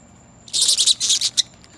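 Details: A kinkajou (Potos flavus) being moved from inside to outside gives a quick series of harsh, hissing bursts, a warning call telling the handler to leave it alone.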